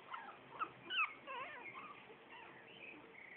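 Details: Squeaky, bending whines from four-week-old Shih Tzu puppies of litter A, one brighter yelp near the first second, followed by softer overlapping murmurs and whimpers against constant low hiss.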